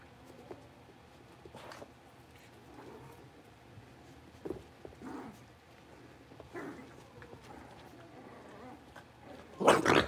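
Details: Five blenheim Cavalier King Charles Spaniel puppies, born on New Year's, in a home puppy pen after moving to a bigger pen; scattered short growly yips and play noises, ending in a loud, harsh burst.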